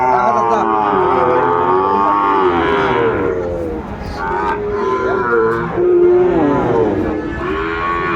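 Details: Lowing cattle at a Kurigram market in Bangladesh, where Sahiwal bull calves are sold, 14 December 2024: sustained, wavering moos from more than one animal, with intermittent voices and background bustle.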